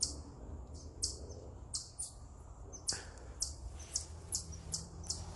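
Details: An eastern chipmunk on a rock gives sharp, high chip calls, about twice a second over a low background rumble; possibly a stress call, though mating or territorial calling is also suggested.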